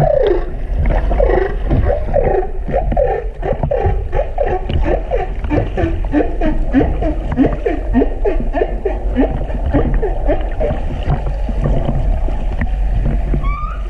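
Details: Humpback whale (Megaptera novaeangliae) song recorded in February 2019 on the Silver Bank, Dominican Republic: a steady stream of overlapping, swooping moans that fall in pitch, over a deep underwater rumble.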